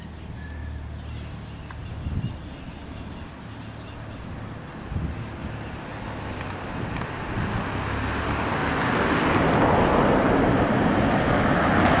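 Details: Steady outdoor road noise with passing vehicles and wind rumble builds louder toward the end, with no animal calls standing out.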